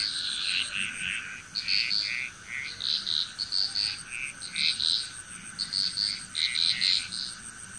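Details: Frogs calling in chorus in Bali, Indonesia, with bright pulsed croaks bursting out in clusters about every half second to second, overlapping voices, and a steady high whine running behind.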